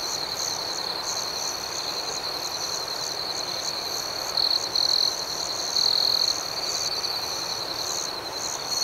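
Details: High, steady cricket chirping fills a night scene with quick regular pulses. Several louder trilled bursts cluster in the middle stretch, all over a soft continuous hiss.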